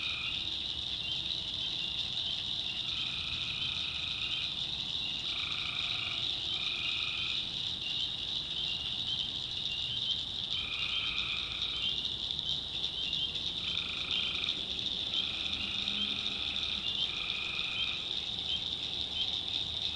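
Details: Nocturnal tree frog chorus recorded in North Carolina backwoods swampland, a steady shrill drone broken by many lower buzzing trills, some short and some about two seconds long, arriving every few seconds.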